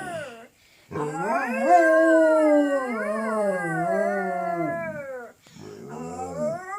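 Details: A household dog howls in duet with a girl; after a short yip, one long wavering howl rises, wobbles and slowly sinks over about four seconds, followed after a pause by a lower, fading howl.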